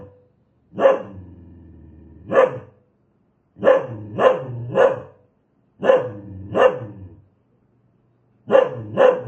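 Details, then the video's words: Fierce, aggressive dog barking in loud, harsh bursts: single and double barks, then a quick run of three, separated by pauses, with a low rumbling growl trailing after the opening barks. "Suara anjing galak"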